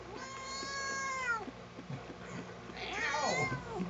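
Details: Domestic cat named Sugar, unhappy about being combed indoors, gives two drawn-out, complaining meows. The first is long and falls at the end. After a short pause comes a shorter, strained second meow. Low household noise sits underneath.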